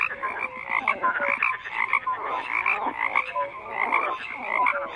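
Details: Many frogs croak together in a continuous chorus, raspy repeated croaks interleaved with short clear tonal calls, rising and falling in loose waves about every second.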